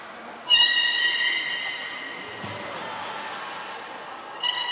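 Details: Captive belugas Hodoi, Taanya and Mirai in training at Port of Nagoya Public Aquarium on November 1, 2020; one long flat harmonic whistle held about two seconds, a short squeal returning near the end.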